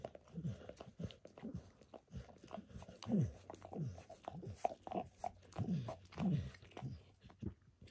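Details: Pet dog Max licking during a self-grooming session, moving from his paws to a foot and leg; steady wet tongue strokes repeat roughly every half second or so, each a short low smack.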